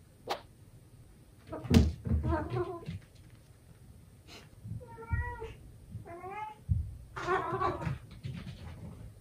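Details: Indoor male British Shorthair named Sobbang, born 18 June 2022, squaring off with his mirror reflection: bumps and scuffling noises, then two clear drawn-out meows with rising-falling pitch, followed by a noisier, rougher cry.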